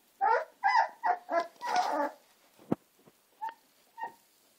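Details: Gina and Zeus, American Staffordshire terrier puppies: five quick, high, squeaky barks in under two seconds, a sharp knock, then two thin, short yips spaced apart.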